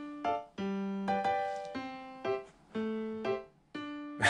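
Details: Bright electric piano plays separate chords and notes in a slow, jaunty rhythm, with a short noisy burst at the end and no animal voice.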